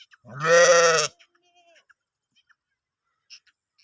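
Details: A grazing sheep in a green Iranian village field gives a single loud, quavering baa of about one second, followed by near silence with a few faint clicks.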